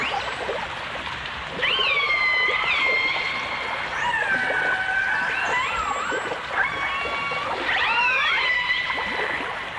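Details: Recorded in stereo in 1989, dolphins and orcas give strong harmonic calls. Each rises sharply and then settles into a long flat tone, returning every few seconds, with fainter upsweeping whistles and a bubbling, splashy background.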